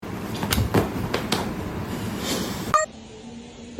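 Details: Busy indoor noise with several thumps and knocks, then an abrupt cut to quieter hum, with no animal call present.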